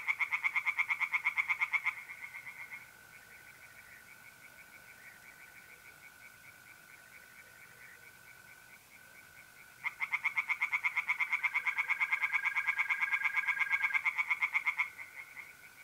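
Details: Singing tree frogs in a pond on an April night in north-east Italy. A short burst of rapid pulsed croaks opens, then a long lull with only the steady mole cricket trill, then a five-second bout of fast croaking returns.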